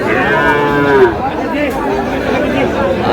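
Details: Sahiwal cattle, bull calves, at a crowded livestock market at Aftabganj, Dinajpur, Bangladesh, on 30 June; one drawn-out moo with a falling end, over steady crowd chatter and speech.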